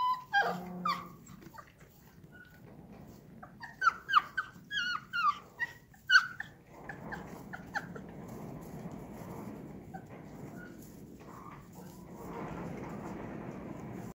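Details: Akbash dog puppies give a burst of short, high, squeaky yelps and whimpers in the first seconds, then a run of thin rising cries around four to six seconds, followed by quiet indoor background hiss with faint rustling.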